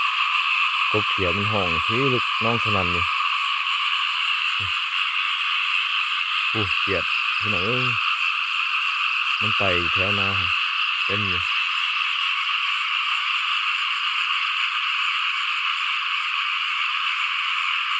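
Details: Numerous frogs calling loudly in a rice paddy following heavy rain under an overcast sky; a steady, shrill, buzzing chorus fills the whole stretch, with a man's short remarks in the first eleven seconds and only frogs after.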